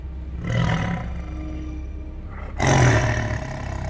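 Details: Deep tiger roars, used to mark territory and audible at up to 2 miles: two harsh, rumbling bursts about two seconds apart, the second louder and rougher, over a low steady hum.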